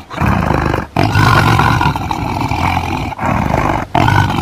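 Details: Tiger roaring in long, loud, rough bursts with deep rumbling underneath, cut by brief silent breaks near one and three seconds.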